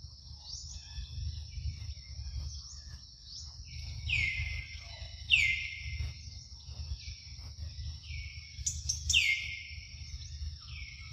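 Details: Luno, a young monkey at morning milk feeding, utters repeated high, falling squeaky cries roughly every second or so, over a steady high-pitched background drone, faint chirps and low rumbling noise.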